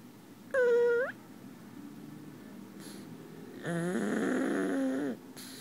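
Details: A pug asleep in someone's arms snores in whistling, nasal tones: a short, high, wavering whine, then a longer, lower, buzzy snore with a wobbling pitch, in a quiet room.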